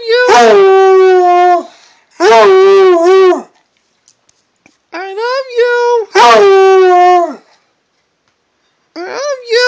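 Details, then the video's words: Pet Redbone Coonhound howling indoors in four loud, wavering bursts of one to two seconds each, rich and tonal with a quavering, yodel-like pitch, separated by brief silences. "My red bone hound howling"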